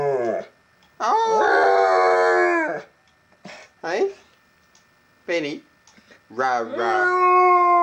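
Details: Benny, a pet dog, howls indoors in a quiet house, urged on by his owner; sustained, wavering harmonic howls rise and fall, his so-called Chewbacca impressions, broken by short yelping bursts, with a person calling "rah, rah, rah" between them.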